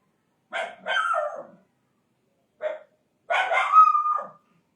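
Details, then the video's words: Desi dog of India gives a pair of harsh, ragged barks, falls silent, gives one short yip-like bark, then ends with a longer, strained bark that rises into a drawn-out tonal edge. "Dog|Indian Dog | Desi Dog"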